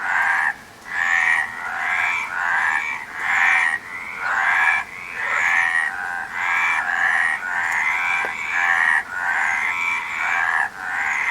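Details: Many frogs keep up a busy chorus of short, buzzy, pulsed croaks, about one burst per second over eleven seconds, the calls overlapping and uneven in timing.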